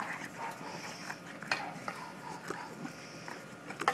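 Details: Corgi puppies play fighting, one of them a puppy named Norma who likes to play rough; short scattered yips and growly bursts with scuffling, mixed with low background chatter.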